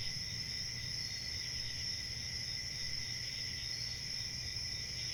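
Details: Steady cricket chirping fills the air: a piercing, sustained high trill over a softer ringing band, unchanging in volume from start to finish against a quiet low-frequency rumble.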